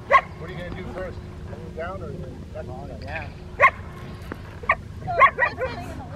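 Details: Obedience training with distraction for Rottweilers Freya, Poncho and Peaches at the Victoria Rottweiler Club, May 2, 2021: a short bark at the start, then scattered barks later, a close pair near the end, over steady chatter.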